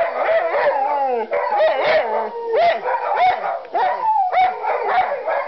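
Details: Pet dogs near a firehouse howl and yelp in reaction to passing fire truck sirens; overlapping rising and falling howls, with short sliding cries breaking in every second or so.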